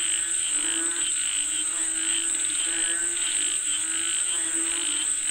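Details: Chorus of frogs said to be calling for rain, with overlapping throbbing croaks rising and falling in loose bursts against a constant shrill insect drone.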